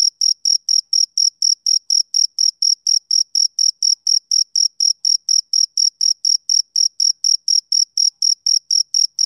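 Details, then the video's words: Summer-evening chirping of a male cricket, sharp high-pitched pulses repeating evenly roughly twice per second with no other sounds audible. "Cricket Chirping Sound Effect"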